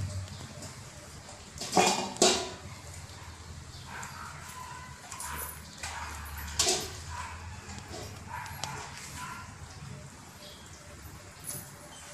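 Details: Week-old Doberman Pinscher puppies, while eating, give a few short, sharp yips and soft whimpers, two close together early and another a few seconds later, over a steady low hum.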